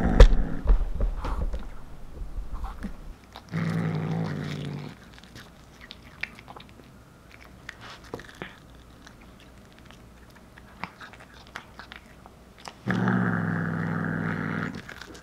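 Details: Short-legged Munchkin cat Anzu, a year-old tortoiseshell female, snarls while biting into cooked corn; two sustained low, throaty growls of about one and a half to two seconds each frame a stretch of soft crunching and chewing.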